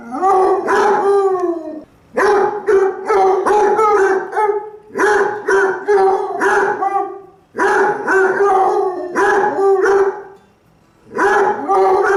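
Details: Basset Hound barking in repeated bursts of deep, resonant, slightly howling barks, several in quick succession, separated by short silent pauses.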